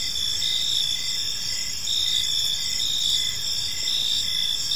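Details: Evening park ambience of crickets: constant high-pitched trilling chorus with faint regular pulsing, nothing else clearly audible.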